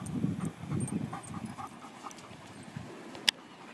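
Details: Dogs running free on the vast sand of Talacre Beach, Flintshire, North Wales, in August 2018: rhythmic low breathy panting bursts in the first second, then softer huffs, over steady wind and surf noise with a sharp click near the end.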